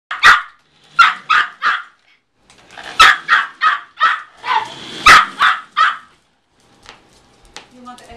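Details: A very small Yorkshire Terrier, about 1 year old and weighing 4.5 lbs, chasing a car and giving rapid, high, sharp barks in quick bursts of three or four.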